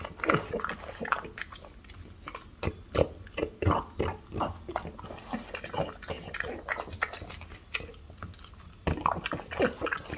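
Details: French Bulldog mother, aged five, and her three-year-old daughter tuck into a pig's tongue. Rapid grunting snorts and crunchy, sticky chewing repeat in dense clusters, with a brief lull before a final flurry.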